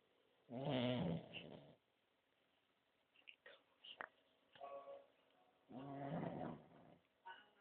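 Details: French bulldog asleep and snoring, loud rasping snore bursts about five seconds apart, each lasting over a second, with a man speaking Spanish to the dog in the gaps.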